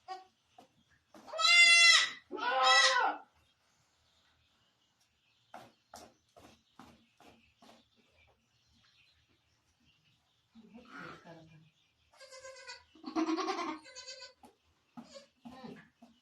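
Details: Barbari goat on a Sultanpur farm during delivery: two loud harmonic bleats back to back at the start, then clicks and handling noises, later softer bleats mixed with low murmured voices.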